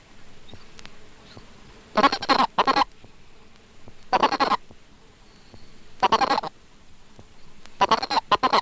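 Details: A Colorado River toad (Bufo alvarius) gives its warning note, short bursts of rapid clucking rather than chirps, the sound male toads make when seized.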